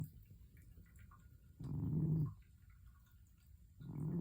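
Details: Sleeping pet cat snoring indoors; low, rasping breaths swell and fade, one long snore lasting under a second, then another starting near the end.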